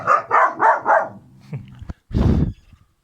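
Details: Kangal puppies, littermates named Karo and Karaca, give four quick barks in a row, then a pause with a faint tap and one longer, broad, rough bark near the end.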